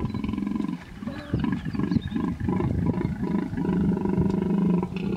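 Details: Hippos face off in the Vurhami River, Kruger National Park, South Africa, a female vehemently protecting her young from a male; deep, continuous roaring grunts pulse in uneven bursts throughout, low and throaty, with faint birdsong above.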